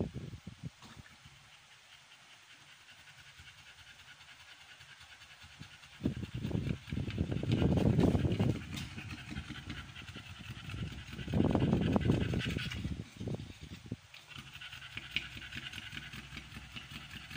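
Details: Rapid, rhythmic huffing breaths from Amber, a pregnant American Bully in labour on day 56 of her first pregnancy. Quiet at first, then two loud bursts of fast panting, roughly three to four breaths a second.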